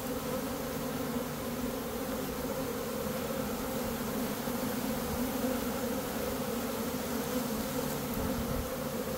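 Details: Swarming honey bees in early May, one of two swarms caught in a day after a dearth: a dense, continuous buzzing drone, steady and unbroken throughout.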